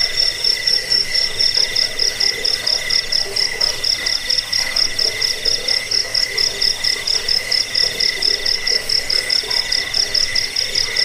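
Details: Jangkik cricket chirping, used to repel rats, as a sleep aid and for tutoring caged birds; an unbroken, piercing high trill in quick, slightly uneven pulses, layered over a softer steady lower tone.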